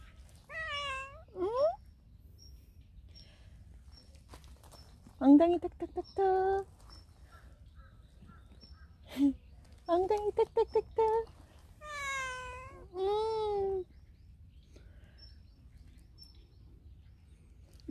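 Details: Friendly stray cat seen often at a workplace, rolling over and showing its belly to ask for petting; several drawn-out meows, some rising then falling, in bursts with short pauses, mixed with human voices nearby.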